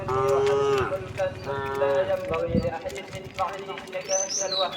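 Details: Tame cows and oxen walking leisurely along a road toward their resting place; several harmonic moos, the first long and steady, then shorter ones, with clopping hooves, background voices and a brief high bird chirp.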